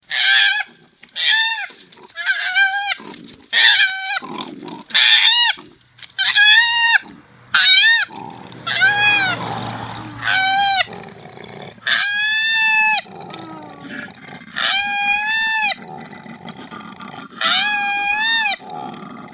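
A koala gives loud, high, nasal squealing wails, repeated in short bursts.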